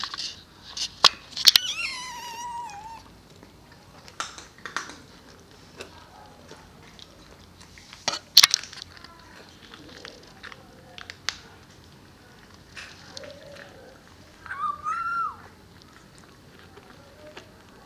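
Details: Weaning Maine Coon kittens, litter T from Crocoon Stanis and queen Kohun Bruna the Amazonia, trying solid cat food at a cattery: a falling high mew early on and another short wavering cry near fifteen seconds, among sharp clicks and dish noises.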